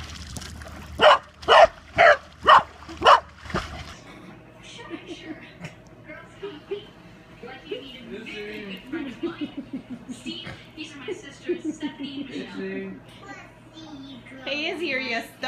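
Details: A corgi gives five loud, rapid barks at a steady beat over the first few seconds, then falls quiet. People talk and a steady low hum continues through the rest.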